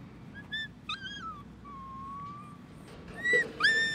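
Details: Three-week-old Siberian Husky puppies from the Sizzle and Bauer litter whimpering indoors: thin, high whines that rise and fall, one long steady drawn-out whine, then sharper, louder yelping cries near the end over a faint low hum.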